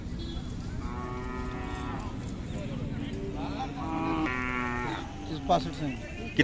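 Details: Khillar cattle at the Sangola cattle market, Solapur district, Maharashtra, India, 12 May 2024; two long, strained moos, each over a second, with a rich harmonic stack, amid crowd chatter and clanks.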